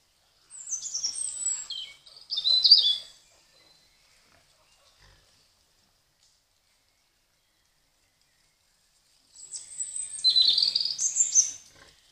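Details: Wild boar piglets caught on a trail camera: two bursts of high, thin squeals and squeaks, one near the start and one near the end, with near silence between them.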